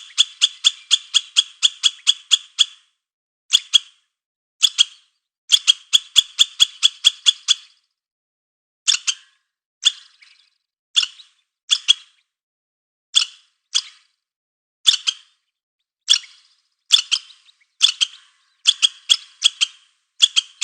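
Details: A squirrel chatters in uneven bursts, with rapid strings of harsh, rasping notes that break into shorter clusters and single clucks separated by short silences. The background is quiet.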